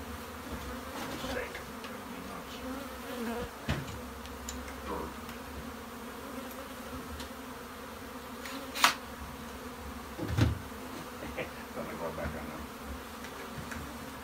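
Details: Steady humming of a crowd of honey bees inside a shed, with scattered taps and knocks and a few faint voices over the constant low buzz.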